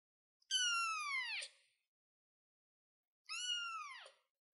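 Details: Kitten sitting on a chair gives two drawn-out high meows, each a falling harmonic wail about a second long, separated by a two-second pause; otherwise quiet.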